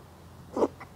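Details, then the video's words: A stray cat resting on someone's lap sneezes once, a short sharp burst lasting a fraction of a second, then a faint softer puff against a quiet indoor background. "무릎길냥이 재채기"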